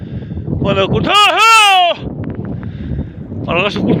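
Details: Sheep under wolf attack bleats a wavering, harmonic cry lasting almost a second, with shorter bleats just before and again near the end, over a rough outdoor background.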